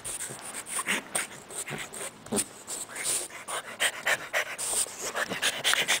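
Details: French Bulldog puppy playing under a bed, with a Boston terrier puppy present: rapid, breathy panting repeated about four times a second, with snuffling and rustling between breaths.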